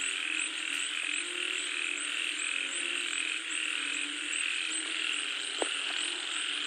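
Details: Frogs and toads calling as rain falls: a dense, unbroken chorus of overlapping croaks and trills, with a steady high pulsing shimmer above and a few faint clicks, all at an even loudness throughout.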